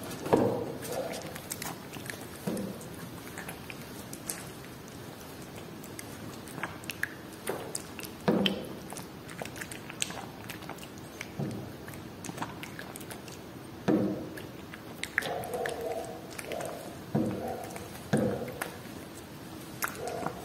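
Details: Cat eating Whiskas salmon: a steady run of moist chewing and biting clicks, with louder crunchy bursts every few seconds and short tonal voice-like sounds between them.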